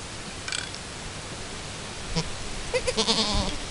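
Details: Chamois-coloured Alpine goat named Chiara at her first kidding, with her newborn kid two hours after birth as they try to nurse: one short harmonic bleat near the end, after faint rustling and a few soft knocks.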